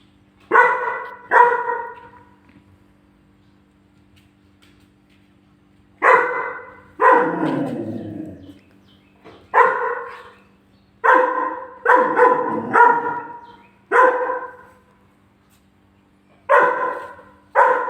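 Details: German Shepherd puppy, angered by seeing its own picture on the fridge, lets out loud barks, often in pairs, separated by silent gaps of several seconds; a faint constant low hum runs underneath.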